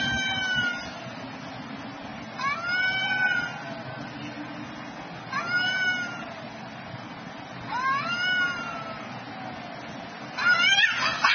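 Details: Two cats fighting around noon, growling yowls rising then falling in pitch, five harsh wails at roughly two-and-a-half-second intervals, the last one rougher and more strained, low rumble behind.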